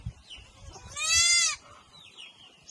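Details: Goat that has just given birth to newborn kids; a single clear, wavering bleat lasting about half a second, with soft rustling and quiet speech around it.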